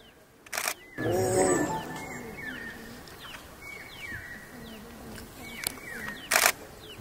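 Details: Tigers mating in Pench reserve forest, filmed in 4K on a Sony a7 IV: one loud, harsh, rumbling roar lasting about a second, followed by repeated descending whistled bird calls and bursts of camera shutter clicks.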